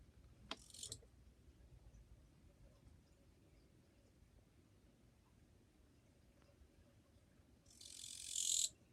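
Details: Kirigirisu, the Japanese katydid, recorded 2 July 2023 and singing rather quietly. Faint clicks come near the start, then a long quiet gap, then one loud, hissing, high buzzy burst of about a second at the end.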